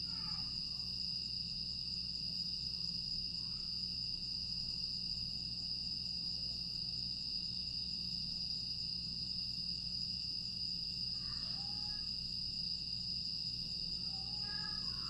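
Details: Grass insects on a quiet summer night in Aewol, Jeju, recorded 25 August 2022: an unbroken high shrill drone hums steadily throughout, with a few faint short chirps and a low background rumble beneath.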